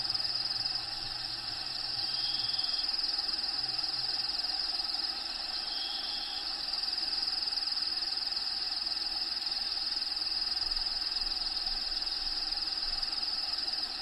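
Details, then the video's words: Crickets inside a bearded dragon vivarium housing Diego the dragon, at feeding time with locusts: a steady high, fast-pulsing trill runs throughout, with brief faint whistled tones and a low hum in the first seconds. "RELAXING SOUNDS CRICKETS LOCUSTS NATURAL HABITAT SOUNDS FEEDING"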